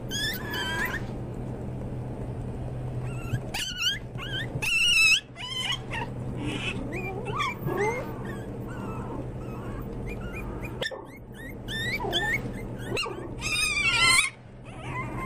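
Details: Pomeranian toy spitz (volpino) puppies giving high-pitched squealing whines and short yips, bursts clustered near the start, around four to five seconds and near the end, over a steady low electrical hum.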